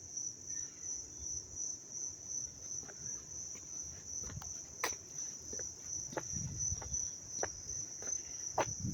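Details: Crickets chirping up close in Dobbs Ferry, New York, on August 19, 2025: a loud, unbroken high-pitched trill holds steady throughout, with scattered sharp clicks and soft low rustling beneath.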